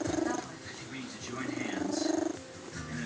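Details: Old domestic cat making its purr-sneeze, a sound it produces when too excited, while enjoying being petted; pulsing, throaty purr bursts at the start and again near the end, mixed with a person talking and laughing.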